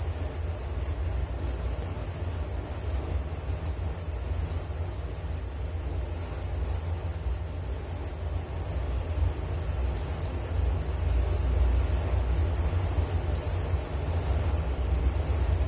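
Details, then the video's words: Crickets chirping for relaxation and sleep, an unbroken piercing high trill with slight pulsing, accompanied by a steady deep background hum. "Relaksasi Suara Jangkrik Penghantar tidur || Nature Sound of Crickets"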